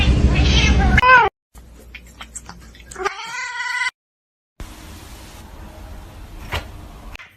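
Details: Domestic cat meowing in a funny cat compilation: a short harmonic meow that drops in pitch near the start, then a longer rising, nasal meow after a break, with abrupt cuts and some background noise between scenes.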